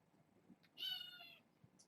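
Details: Indoor bedtime with six foster kittens, four female and two male, born August 29: a single clear, shrill meow lasting about half a second, thin and high, against a hushed room with a soft tap afterward.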